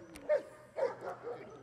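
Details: Gyn-Yuu, a Giant Schnauzer in protection work training, gives two loud sharp barks about half a second apart, followed by softer yelping tails.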